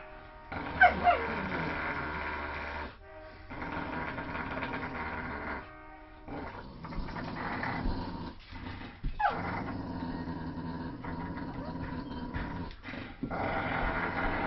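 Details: Playing tug of war, a Staffordshire Terrier, German shepherd and poodle mix gives low, rasping growls in several stretches separated by short gaps, with some faint background sound.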